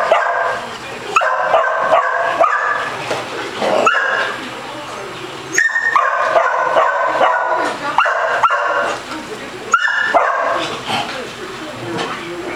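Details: Female Basset Hound zooming around and playing with a ball at a Las Vegas, Nevada day care; repeated bursts of full, harmonic barks in quick groups of three or four, with short pauses between groups.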